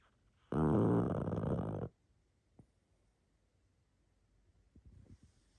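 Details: Sleeping pug snoring indoors: one long rasping, rattling snore lasting over a second, then quiet room with a few faint snuffles and soft breathy sniffs near the end.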